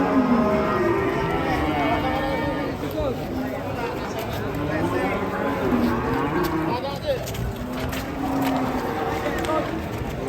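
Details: Several agitated, raging cattle lowing at once, overlapping drawn-out moos that bend up and down in pitch, following one another with little pause, with a crowded pen atmosphere behind.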